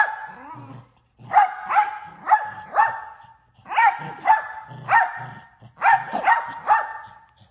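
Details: Male mini Australian Shepherd barking almost nonstop, more than once a second: rapid sharp barks in bursts of three to four, separated by brief gaps, with a soft whine at the start.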